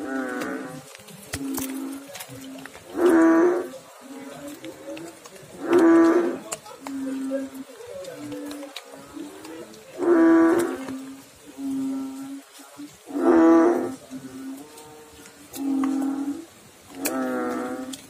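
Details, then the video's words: Frog calling in water: deep, rich, droning croaks that each last about half a second, repeated roughly every two to three seconds, with a steady low hum of other calls continuing between them. "Frog Sounds in water"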